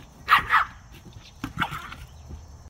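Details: Rylie, a tiny female Yorkshire Terrier pup, barks twice in quick succession with sharp, high yaps, then follows with a softer, shorter bark a second later.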